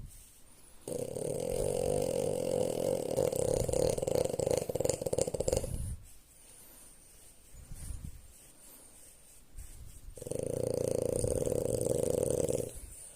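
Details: French Bulldog snoring indoors, lying down after a morning walk while her belly is scratched: long rough, rasping droning snores lasting about five seconds each, separated by a quieter breathing pause.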